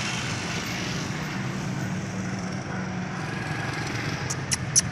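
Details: Steady outdoor engine rumble like a passing vehicle or lawn mower, with a few sharp high clicks near the end and no animal voice.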